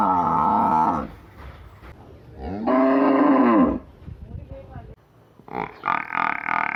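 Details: Deep, drawn-out lowing from a cow or water buffalo in a village, with one long moo rising and falling.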